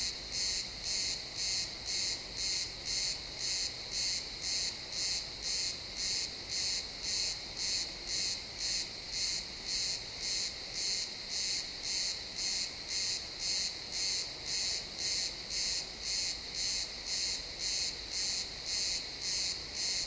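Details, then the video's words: Chirping crickets fill a pine forest at dusk in this real-time XY stereo recording; a continuous series of high-pitched pulsed bursts, nearly two per second, very regular, over quiet low background noise. "Cricket sounds in the pine forest"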